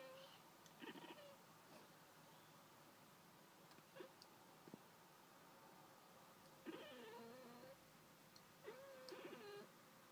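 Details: Indoor domestic cat chattering at birds outside, short bursts of clicky, trilling vocalizations scattered through the clip with brief rising-falling chirps near the end, quiet room background.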